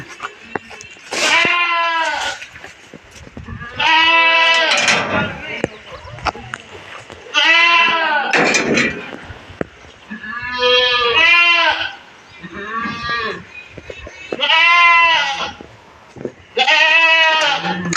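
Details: Goats on a farm in Maharashtra, India, including castrated bucks sold for Bakri Eid: a series of loud, quavering, nasal bleats about every two to three seconds, with brief human voices between them.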